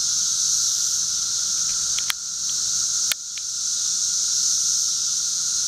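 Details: Wild 13-year cicadas in a backyard in Charleston, Illinois, on 1 June 2011: a steady, unbroken droning chorus with a shrill high hiss over a lower buzzing band, interrupted by two sharp clicks near the second and third seconds.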